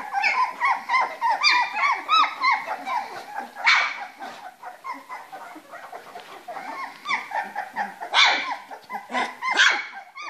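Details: Three-week-old Springer Spaniel puppies playing together in their box, a litter giving overlapping high squeaky yips and whines in irregular bursts, some calls rising then falling, with brief quiet gaps between flurries.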